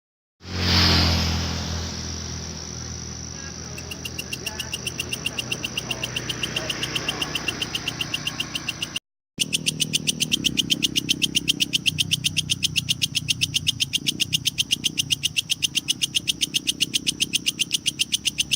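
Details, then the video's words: Kecek grasshopper recorded as training material (masteran) for competition lovebirds, meant to lengthen their song and enrich its fill. After a noisy, rumbling start, sharp high ticks repeat steadily about four times a second, with a brief break midway and low hum beneath. "suara belalang kecek sangat cocok untuk masteran burung lovebird"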